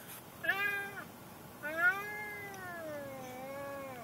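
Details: An already vocal pet cat, made angry by riding in the car on the way to the vet: two drawn-out meows, a short one and then a long wavering wail of about two and a half seconds.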